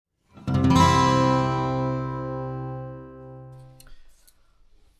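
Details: A single strummed acoustic guitar chord rings out and fades over about four seconds, with no animal calls heard.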